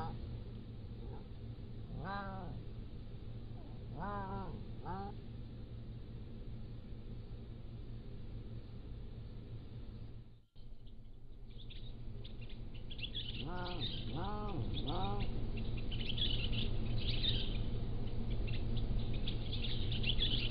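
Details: Pallas's cat kittens, three to seven weeks old, captured by a motion-activated trail camera. Short arched harmonic mews come in small clusters of two or three, then pause. A steady high insect-like hiss and low hum sit behind them.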